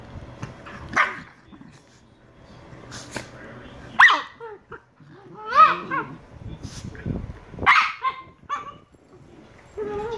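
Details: Two Shiba Inu puppies, Niro and Kyno, 118 days old: a few sharp barks spaced unevenly across the clip, several trailing into whiny tonal tails, with quiet pauses between and a faint voice in the background.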